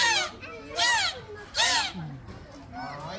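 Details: A captive dolphin at an aquarium in Fukuoka, Japan, gives bright, squeaky honks through its blowhole, adjusting its lid to make sounds, with a person talking nearby.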